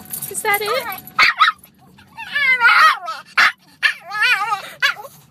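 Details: Pet dog that loves to talk, producing repeated warbling, yodel-like howling phrases with wobbling pitch, each lasting under a second and separated by short pauses and sharp breaths, in a quiet indoor setting.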